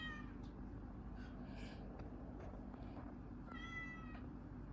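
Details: Orange cats pitted against each other: a faint drawn-out meow opens the recording, then a clearer harmonic meow with a slight rise and fall near the end, over a steady low hum.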